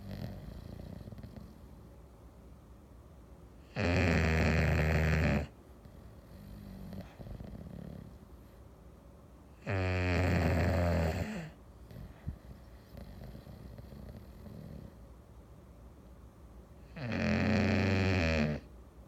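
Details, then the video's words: English Bulldog snoring on a Sunday afternoon: three loud, buzzy, rasping snores, each under two seconds and spaced about six to seven seconds apart, with faint wheezy breaths between them. "English Bulldog snoring"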